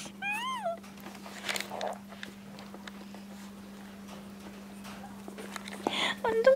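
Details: Maltese named Destino, indoors: one short whining call that arches up then falls, with clear stacked harmonics, followed by a quiet room with a steady electrical hum, a soft human voice and faint squeaks near the end.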